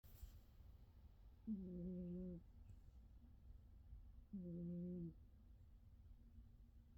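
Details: Sleeping Norwegian Forest Cat snoring: two drawn-out, humming, nasal snores, each under a second long and about three seconds apart, over a steady low background rumble.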